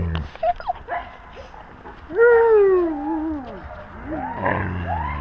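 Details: Wolves with their pack, recorded on a GoPro camera at wolf level; scattered short whines, then a clear drawn-out falling howl-like tone lasting about a second, followed by more overlapping rising whines and low rumbling.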